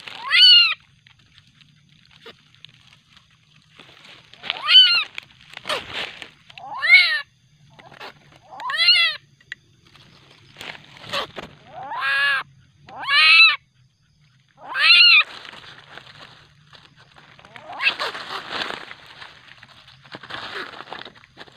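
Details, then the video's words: Night-time common palm civet youngster, aggressive, uttering sharp descending yelps, spaced roughly every one to two seconds, followed by softer hissing noise. "anakan musang sangat agresif di malam hari"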